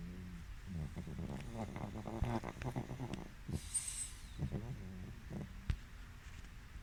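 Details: A napping pug gives snorting, snuffling snores. Low, rattling breaths come in short clusters with brief pauses between them, and a faint high whistle sounds midway.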